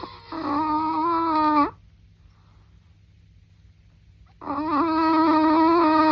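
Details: Chihuahua snoring: two long, squeaky, whistle-like nasal tones, each about a second and a half, separated by a quiet pause of nearly three seconds, steady in pitch with a slight waver, in a quiet room.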